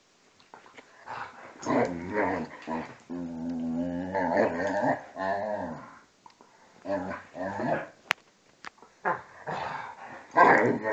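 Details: A vizsla and a pointer, ages two and a half and twelve, keep play fighting: a sustained deep harmonic growl lasting about three seconds amid choppier snarls and scuffles.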